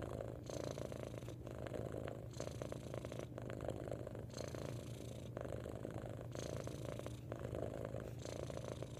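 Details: A cat purrs loudly in a long, unbroken rumble. The tone changes roughly every second as each breath turns from inhale to exhale. The sound stays even and deep throughout, with no background noise.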